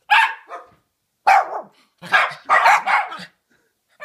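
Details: An 11-month-old Miniature Schnauzer goes wild in a bag when his owner gets home, giving a run of sharp, high, excited barks and yaps, some in quick pairs.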